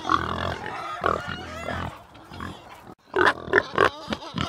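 A pig gives a run of rough, nasal grunts, then breaks into several short, higher squeals in quick succession.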